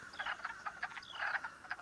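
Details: In early spring, crowded male wood frogs in a pool by a creek give short, hoarse, duck-like quacking clucks in quick irregular bursts, calling to attract arriving females during mass mating.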